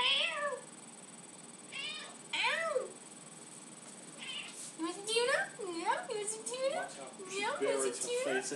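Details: Indoor domestic cat meowing insistently for tuna, having learned the sound of the can opener; several rising-falling drawn-out meows come in bursts, overlapping a woman's voice repeatedly asking whether she wants tuna.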